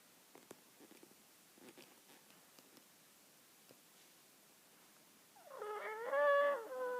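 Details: Cat meowing: several seconds of faint soft clicks and rustles, then one loud, drawn-out, wavering meow near the end, rising and dipping in pitch for about one and a half seconds.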